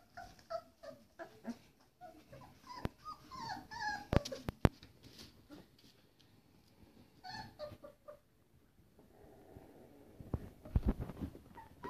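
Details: Four-week-old Pitsky puppies, a Pit bull and Siberian Husky hybrid: high, wavering whines and squeaky whimpers in quick irregular bursts, with soft low grumbles, thumps and rustling, then a burst of lower growly noise near the end.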